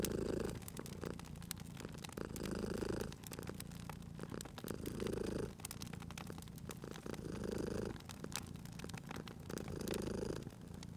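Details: Sleeping domestic cat purring beside a crackling fireplace in a cozy spring ambience; a low rumbling purr swells and fades in steady cycles about every two seconds, with sharp pops and snaps of burning wood throughout.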